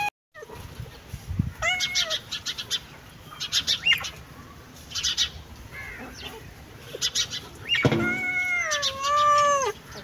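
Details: Cat giving two meows: a short falling one early on, then a longer wavering meow near the end that slides downward. Busy clicking and rustling noises fill the gaps between them.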